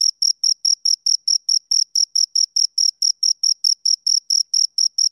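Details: Pair of crickets giving rapid, evenly spaced high-pitched chirps, each pulse clean and ringing, continuing without a break through the whole stretch in an otherwise silent setting.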